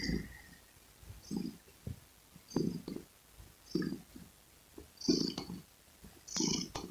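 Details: Close-up purring of a domestic cat, a rhythmic rumble rising and fading with each breath roughly every 1.3 seconds, about six breath cycles, with breathy hissy edges and a quiet low background hum.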